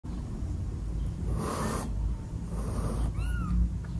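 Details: Adopted kitten hissing when she first meets her newborn siblings: two breathy, broadband hisses, each about half a second, then a short high mew rising and falling near the end, over a steady low indoor rumble.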